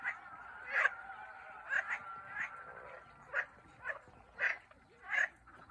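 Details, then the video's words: Frogs in Turkey: short, rough croaks repeated roughly every half second to second, irregularly spaced, over a faint steady hum. "Turkish frogs"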